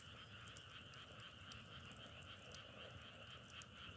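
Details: Continuous frog chorus, a droning trill layered in two pitches without pause, broken by frequent dry snapping crackles of a wood fire.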